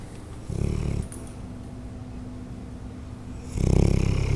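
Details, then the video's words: Whitney, a 7-year-old female Bloodhound in the care of Ontario Bloodhound Rescue, snoring while asleep: two deep, rumbling low snores, a short one early and a louder, longer one near the end, with quiet breathing between. "Bloodhound Whitney Snores"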